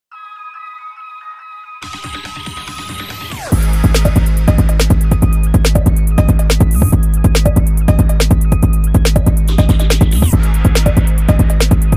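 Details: A short electronic intro rises into loud, driving drum and bass music with a fast, regular beat; no animal sound is heard.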